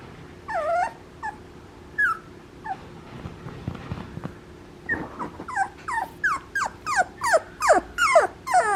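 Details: Papillon puppy whimpering in a series of short, high, downward-sliding whines. There are a few scattered cries, then a quiet pause of about two seconds, then a faster run of about a dozen yelping whines that grow louder toward the end.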